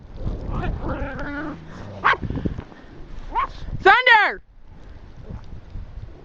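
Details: Dog out walking in a snowstorm on March 19, 2013, in a field in Ironwood Township, Michigan, with over a foot of snow; small dogs and Alaskan husky pups present. A person talks, then a sharp, high, wavering yelp near the end, followed by quiet wind.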